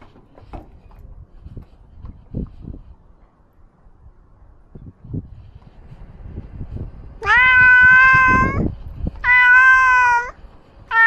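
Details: Ros, a domestic cat wearing a camera while he roams, gives two loud, drawn-out meows with a bright harmonic tone, each lasting about a second, then a third begins. Soft footsteps and rustling come before them.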